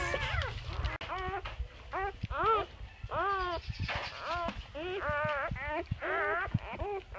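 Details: Squeals from a freshly born English Labrador litter of chocolate and black pups, arching whines that rise and fall quickly and repeat about twice a second, with faint human voices and low rumble behind.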